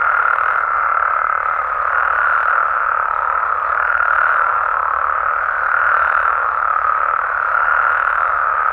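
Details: Mexican frogs and toads chorusing through the night: a continuous, even drone of countless overlapping calls with soft rhythmic swells and no other clear sounds.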